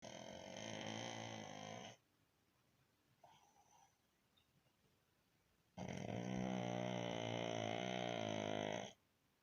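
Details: Baron, a pug, snores while resting: two long, loud rasping snores of about two and three seconds, each a buzzy, finely rattling drone with many harmonics. A quiet gap with faint breathing lies between them.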